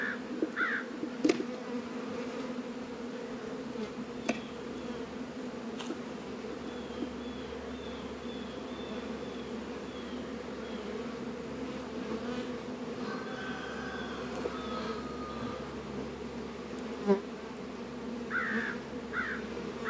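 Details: Many honey bees active around Warre and Langstroth beehives in a northern Kentucky apiary, on a 72-degree February day; continuous droning hum throughout, with occasional clicks and faint bird calls in the background.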